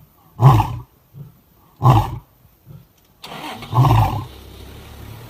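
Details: Lion roaring in a fight over food at Kruger National Park, South Africa: three deep grunting roars about one and a half seconds apart with soft grunts between, a vehicle engine rumbling in during the last part.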